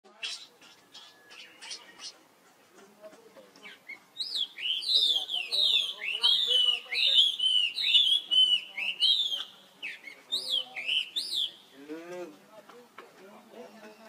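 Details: A young male monkey gives shrill, wavering squeals in quick bursts, calling for help while his sister runs off very fast.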